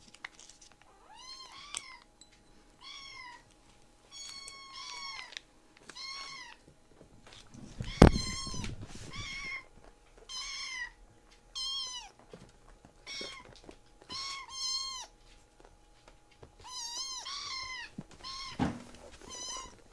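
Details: Rescued baby kitten pleading for more treats with a long series of clear, high arched meows, roughly one each second or two, rich in harmonics, with a sharp click near the middle and a quiet indoor background.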